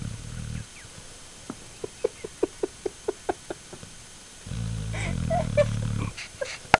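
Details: Shane, a pet dog, snoring in his sleep: a short rumbling, grating breath, a pause filled with a rapid run of soft ticks, then a longer low buzzing snore.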